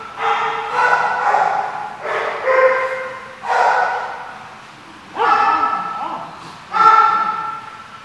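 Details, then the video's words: Dog sounding off with a steady series of long, resonant barks, roughly every second or two, with some fading tails between the bursts. "The Barking Lot"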